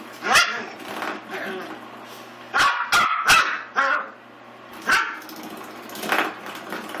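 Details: Willie, an eight-week-old Pomeranian and Miniature Australian Shepherd mix puppy, attacks a door stop indoors. Short rough yaps and growly bursts come in scattered clusters, some quick doubles and triples, with a person's voice cheering him on between outbursts.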